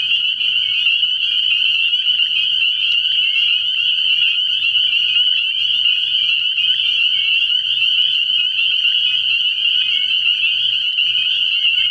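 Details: Spring peepers calling at night in early year from a frog pond, a dense continuous chorus of high, shrill peeps overlapping into a steady ringing wall of sound with no pauses, many frogs calling together.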